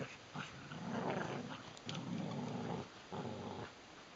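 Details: Deep, sustained growling from two adult Border Collies, Neo and Joy, locked in a tug-of-war game: three long rumbling growls, each about a second long, separated by short pauses, in a small indoor room.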